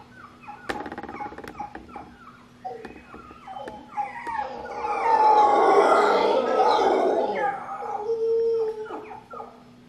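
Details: An English Bulldog howls in long, wavering, rising and falling tones over a steady low hum, in a howling competition with a howler monkey.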